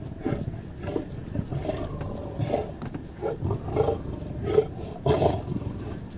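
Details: Several harsh growling snarls from male lions over a buffalo kill in the Maasai Mara of Kenya, spaced irregularly and strongest toward the end, against a low rumbling background.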